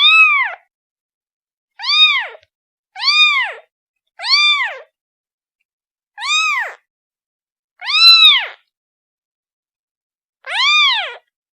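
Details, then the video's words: Seven short, high kitten meows calling for the mother, several in quick succession about one second apart, then spaced wider, each a rising-falling arc rich in overtones; nothing else audible. "The sound of a kitten calling its mother"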